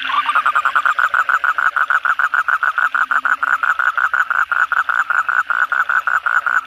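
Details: Asian common toads (kodok bangkong) calling at night after heavy rain; a rapid series of short, buzzy croaking pulses repeated steadily, about seven per second, with a faint low hum beneath.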